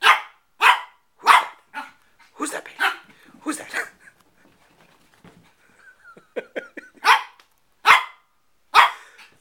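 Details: Shih Tzu puppy Bailey, four months old, confronts his reflection in a mirror with a run of shrill, evenly spaced barks. A short lull with faint whiny notes comes before three more sharp barks.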